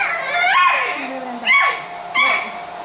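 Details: Pit Bull puppies playing indoors; three high, tonal yelping whines with falling pitch, each about half a second long and spaced under a second apart, in a small room.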